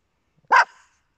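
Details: A single short, sharp bark from a small indoor dog, a Papillon or Yorkshire Terrier, ringing bright and clear against an otherwise silent background.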